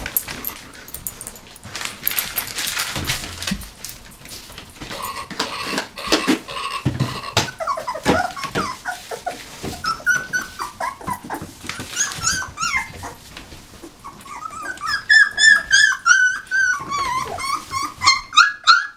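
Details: Nineteen-day-old puppies whimpering and squealing continuously, with thin, wavering high cries that grow louder and more frequent toward the end, mixed with rustling and shuffling.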